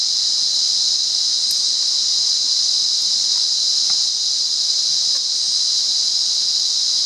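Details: Monaragala, Sri Lanka: a wild cicada sings a level, unchanging high-pitched buzz with no breaks, while scattered faint taps and ticks occur in the background.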